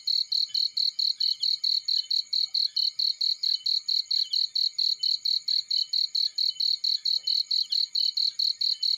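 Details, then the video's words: Cricket heard in a field, repeating sharp, bright chirps at a quick even pace of around four per second, with a faint background hum of other insects. "Warm Relaxing Fireplace In Field || Burning with Cricket Sounds"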